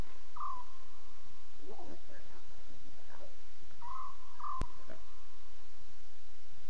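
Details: Night-time Safari Live recording of talking lion cubs, October 5, 2016, 2:40 a.m. CAT: a brief mewing call early on, a rougher burst of grunts near two seconds, then two more tonal mews close together, with constant background hiss.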